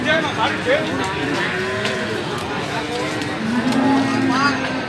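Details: Pegon cattle, young feeder stock for fattening, at a cattle market in Gorang Gareng, Magetan; a drawn-out low moo toward the end, with rising calls earlier over a busy crowd murmur and vehicle noise.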